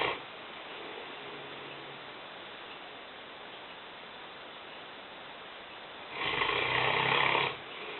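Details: Indoor kitchen recording of Lena, a five-year-old female Newfoundland of 150 pounds, asleep: a long quiet stretch with soft background hiss, then one strong raspy snore lasting over a second.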